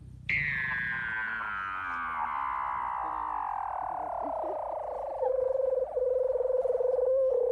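A seal gives a long, tonal, wailing call that slides steadily downward before settling on a lower note.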